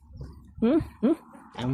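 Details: Canaan dog puppies, handled indoors while one has its neck scratched; two short wavering whines around 0.6 and 1.0 seconds, a rougher yelp near the end, with Tagalog speech and low room noise between.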